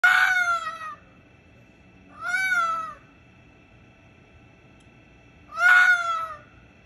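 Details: A red fox gives three loud, harsh screams outside a bedroom window, each about a second long and falling slightly at the end.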